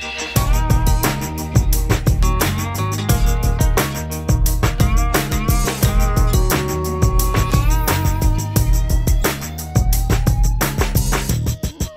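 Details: Loud funky backing music with a driving bass line, guitar and steady beat fills the whole stretch, with no animal sounds heard.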